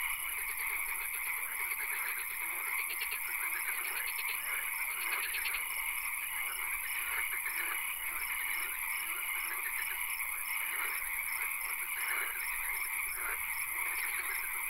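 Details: Swamp frogs at night in full chorus, with repeated bursts of fast rattling trills every second or two rising over a steady, shrill background drone.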